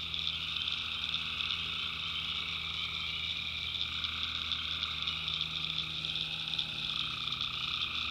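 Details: Night chorus of tree frogs in a North Carolina backwoods swamp: steady shrill trilling from many callers, plus a mid-pitched buzzing layer that swells around the middle and again near the end.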